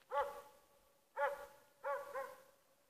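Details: A dog named Schampoo gives three short, yelping barks about a second apart, the last one doubled, each with a tonal, slightly whiny edge over a quiet background.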